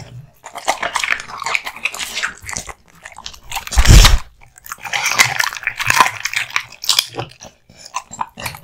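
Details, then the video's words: Kotetsu, a male American Bully born in 2016, crunching raw bones and meat. Crackly bites run throughout, with one loud, heavy thud midway, perhaps the bone knocking against something, then more brittle cracking. "Dog eating hung raw meat and bones"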